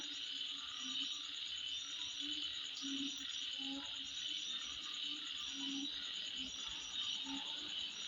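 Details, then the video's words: Insects heard at midnight produce a thick, high, even buzz with fast pulsed chirping, while deeper croaking calls come irregularly, roughly 45 a minute. "Sound Of Insect At Midnight"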